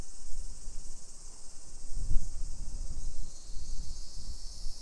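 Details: Summer cicadas in a hillside residential suburb of Nisshin near Nagoya, Aichi Prefecture, Japan, at 1 PM on 28 July 2021: a steady, shrill, hissing drone without pause, over low rumbling footsteps and a thump near the middle.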